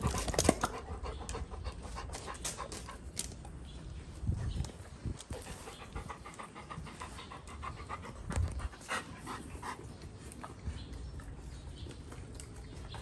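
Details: Two Golden Retrievers, Goldie and Apollo, during excessive rough play, one of them pregnant; steady rapid panting with scattered clicks, thumps and scuffling, broken by brief sharp noises.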